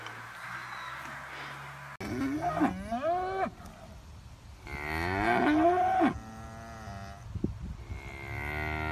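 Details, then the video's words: Cow mooing on a countryside dairy farm in a village: two wavering moos that rise and dip in pitch, over a steady low background hum. "Real cow moo mooing sound"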